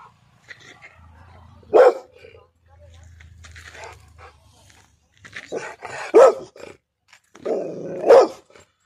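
A Rottweiler gives three loud, deep single barks spaced a couple of seconds apart.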